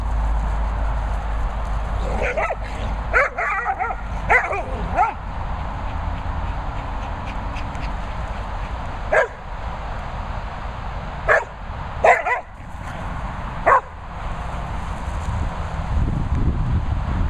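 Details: Dogs arguing at a dog training and boarding kennels in the Worcestershire countryside, letting out sharp barks in clustered bursts, several in quick succession, then single barks spaced a few seconds apart over a steady low background hum.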